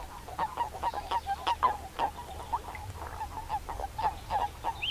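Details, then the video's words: Common toads at a pond edge in the Limousin countryside, France, on 11 March 2013, give short, soft, croaking notes in a busy overlapping chorus while mating. "CRAPAUD Commun/Accouplement/Hiver ! BRUITX"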